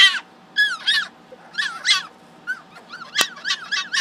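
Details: A male pet fennec fox gives a rapid series of high, harmonic, wavering yelps and squeals in short bursts, screaming loudly even when happy.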